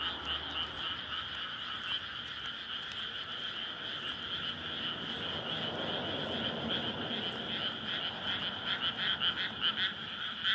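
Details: Nighttime courtship chorus of frogs in a flooded rice field in May, near a roadside; an unbroken droning wall of croaks, with a low rumble in the middle and rapid pulsing calls growing louder near the end.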